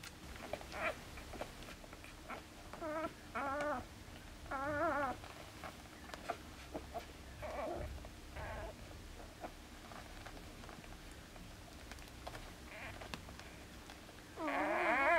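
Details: Four-day-old Border Collie puppies from a litter born 29 August 2014, recorded 2 September 2014, giving short bursts of wavering, quavering whines that rise and fall in pitch, scattered across the clip with quiet gaps and a longer wail at the end.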